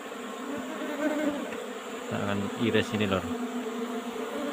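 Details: Colony of Apis cerana in an old-fashioned hive box while honey is harvested. A dense, continuous drone of many bees, broken midway by a short, deep, tonal sound lasting about a second.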